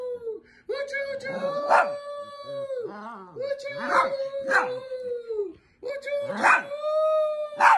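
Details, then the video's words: Several Chihuahuas howling, long steady howls held level and falling off at the ends, three drawn-out bouts with short gaps, broken by harsher barking bursts. "Chihuahua dogs barking and hauling"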